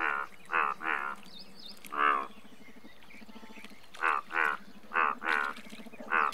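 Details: Indian bullfrog calling with loud, nasal, buzzy croaks, given singly and in quick pairs, about eight in six seconds, over a steady low droning background.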